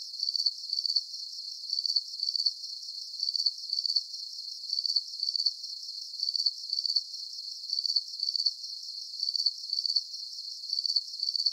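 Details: Crickets chirp in high, rapid trilled bursts, grouped in clusters that repeat regularly about twice a second, carried over a light continuous buzz.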